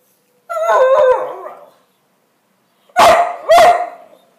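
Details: A two-year-old male whippet barks at a broom because he loves playing with it: a wavering whiny yowl, a silent gap, then two loud abrupt barks half a second apart.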